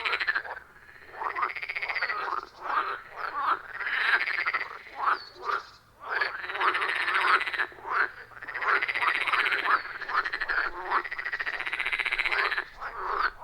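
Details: Dense chorus of wild frogs at a forest pond, loud and rhythmic, taken with an iPhone 14 Pro plus Shure MV88+; rasping croak bursts rise and drop repeatedly over several seconds, separated by brief quieter dips, no human sounds.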